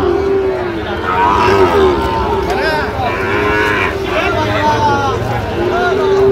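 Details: Sahiwal cattle, bull calves on sale at a busy market haat, 3 October, Dhaka buyer: repeated low moos, one long and steady, others shorter and bending in pitch, layered over constant background crowd noise.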